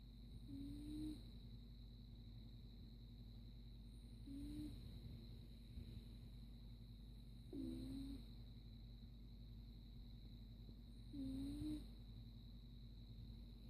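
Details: Caligula, a sleeping domestic cat, snoring: a soft, low whistled tone with each breath, repeating about every three and a half seconds, four breaths in all over a steady low hum.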